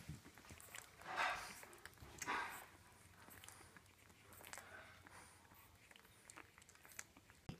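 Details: Two-week-old French Bulldog puppies, part of a litter of five, give two brief, high, squeaky whimpers over soft rustling and snuffling while hanging out and feeding with their mother.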